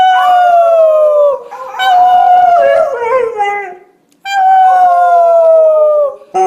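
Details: Puppies learning to howl: long, smooth, slowly falling howls about a second and a half each, then a wavering, overlapping howl from several voices, a brief silence, and another long descending howl.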